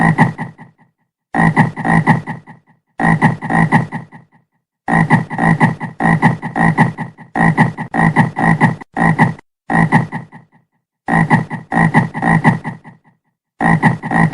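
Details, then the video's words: Frog croaking in a series of harsh, rapidly pulsed bursts, each lasting one to two seconds and separated by short silences. Roughly nine bursts, deep and throaty with a raspy overtone, and no other sounds. "SOM DE RÃ - BARULHO DE RÃ"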